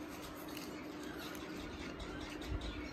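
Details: Quiet indoor hiss and faint handling noises run through the clip, with a soft thump near the end and no animal call.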